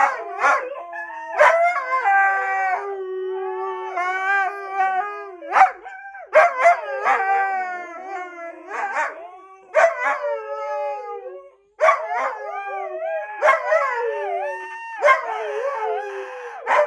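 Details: Siberian Husky 'talking' in a long run of varied howls, yips and yodelling rises and falls, with sharp clicks or yelps punctuating the steady harmonic calls throughout.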